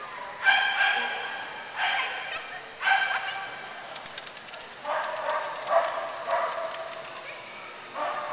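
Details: Clumber Spaniels at Concord in November 2009, giving loud, harsh barks in short bursts, roughly every second or so, with a few brief pauses between groups of barks.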